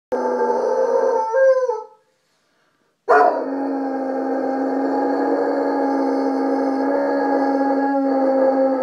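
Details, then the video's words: Dyson, a Saint Bernard, howling along with a distant siren: a sustained tonal howl with rich harmonics, a brief wavering phrase that breaks off into two seconds of silence, then a long steady held howl to the end. "Do St Bernards howl?"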